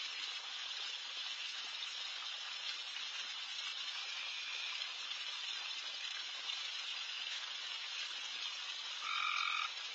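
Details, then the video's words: Frogs calling at night around a backyard during deer feeding, a steady dense hissing chorus throughout, with one brief louder call near the end. "Night Deer... with Frogs in surround sound"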